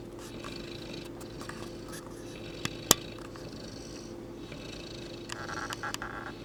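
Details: Mo, a St. Bernard, snores while asleep: slow rasping breaths rise and fall in long rhythmic waves, with a sharp click midway and a steady low hum from the room.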